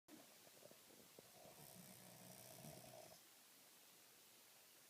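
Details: Sleeping dog snoring: a soft, rasping, breathy drone lasting about three seconds, with a low rumble under a hiss, then fading to quiet background noise.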